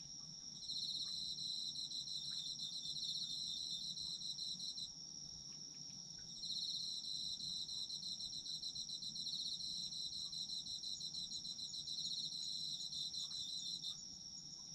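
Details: Autumn insects sing in overlapping layers: a constant high ringing tone and a rapid pulsed trill that runs in long bouts, pausing briefly near five and fourteen seconds, over faint low background noise.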